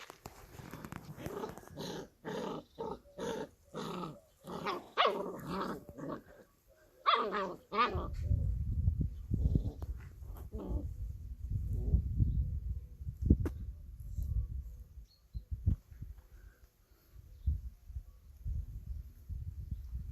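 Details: Playing Kangal puppies: a run of rapid, rhythmic yelping barks over the first seven seconds, a sharp squeal, then a long, low, rumbling growl broken by scattered clicks and knocks.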